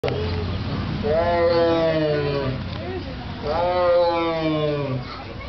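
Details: A tiger at the Columbus Zoo gives two drawn-out, strongly harmonic moaning calls that slide downward in pitch; the reason for the noise is unknown to the filmer.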